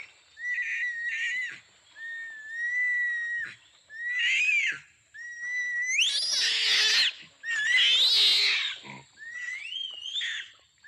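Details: Orangutan giving repeated whistled squeals that bend upward, building into two long, raspy, full-throated screams about a second each, then tapering back to short rising whistles.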